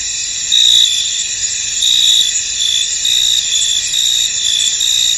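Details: Crickets in a misty, foggy field: a steady high-pitched shimmering drone with brighter chirp bursts rising out of it every second or so.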